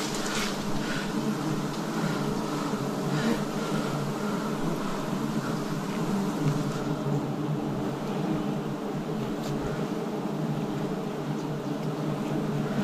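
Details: Wild bees during a forest honey harvest in 2026: a dense, steady droning buzz of many bees runs unbroken throughout, with brief crackling, hissy bursts near the start.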